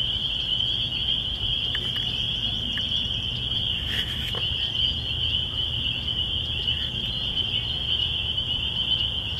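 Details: Rural churchyard chorus of spring peepers in spring, their high piping calls blended into a continuous ringing drone. A brief rustling burst comes near the middle, and there is a low background rumble.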